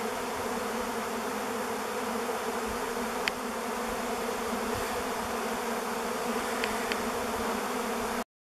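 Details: Thousands of honey bees swarming above a driveway on 05-11-21, camera recording; a steady, full buzzing drone with a few faint clicks before it cuts to silence at the end.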